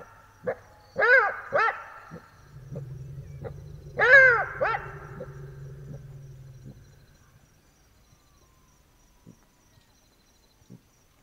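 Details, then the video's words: Black-backed jackal at night in the Botswana bush, Africa: a few sharp, arched yapping barks with gaps between them, over a steady low hum that fades after several seconds. "Jackal Sounds - Howling & barks of Black-backed Jackals at night in Africa"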